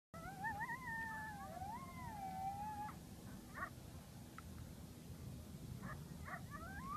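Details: Coyotes howling: a long, wavering, rising and falling high howl with a second voice above it, then short yips and broken calls later on against a steady background hiss.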